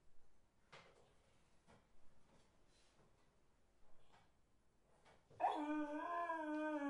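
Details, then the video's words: Dog whining: faint rustles and soft noises for about five seconds, then a loud, tonal, wavering whine with rich harmonics holds steady to the end. "Dog Whine"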